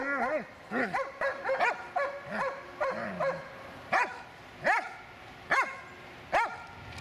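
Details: An 8-year-6-month-old Dobermann gives deep, harsh barks in bursts, then single spaced barks, during attack training on French commands.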